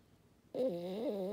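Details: French Bulldog Maddi starting a snore after a brief silence, the drone wavering and dipping slightly in pitch as it continues.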